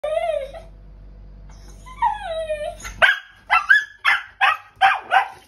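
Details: A Pembroke Welsh Corgi being bathed, and disliking it, whines in drawn-out falling tones, then breaks into rapid, yelping barks in protest.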